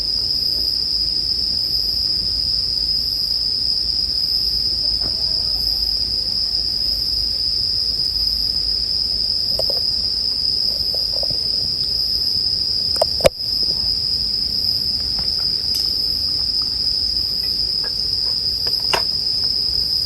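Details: A continuous shrill ringing from bell crickets holds at one high pitch. Campfire crackles pop here and there, with one loud snap about two-thirds of the way through.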